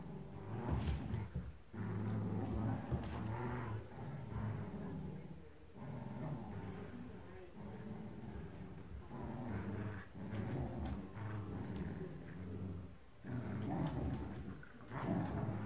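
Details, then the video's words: Blue merle Shetland Sheepdogs in a tug-of-war game, recorded in early 2018, give deep, rumbling growls in long bursts broken by short pauses, with a tug toy rustling and faint human voices. "シェルティブルーマール 2018年早々の引っ張りっ子対決‼"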